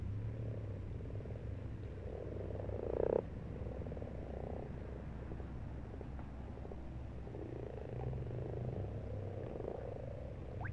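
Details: Frogs croaking in a garden pond in March: low pulsed purring croaks around the middle register, overlapping in a continuous chorus with a steady low hum beneath.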